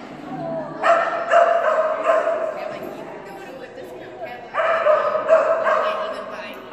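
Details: Kerry Blue Terrier Phenix, a female, running agility in class; two long bouts of shrill, tonal barking with quieter noise and talking between them.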